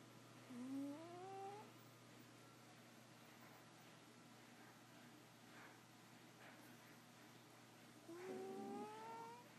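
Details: Bootsie the cat snoring in sleep: two high whistled snores, each rising over about a second, spaced roughly seven seconds apart, with soft breathing noise between and a steady background hum.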